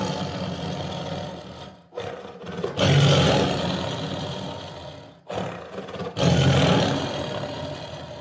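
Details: Tiger producing deep, rasping roars, one long one followed by a shorter one after a pause, over a steady rumbling background.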